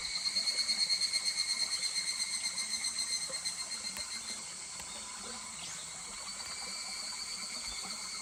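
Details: Higurashi cicada calling in July beside a stream at Kuragari Pass, Japan: a rapid, high, pulsed trill that starts loud and fades away over about four seconds, over steadily murmuring water and a constant background insect drone.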